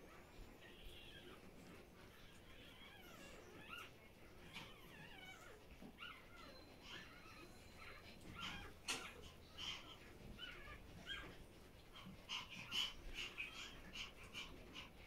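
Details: Pomeranian female Bambi lying with her puppies in the morning, deeply relaxed; thin, wavering squeaks and whines rise and fall in pitch, in irregular clusters that grow denser and louder toward the end.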